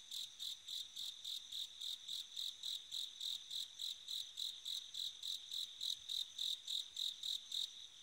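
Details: Bell cricket singing on an autumn night: a steady train of high, ringing pulses, roughly three to four per second, each bright and tinkling, continuing evenly for about eight seconds over a quiet background.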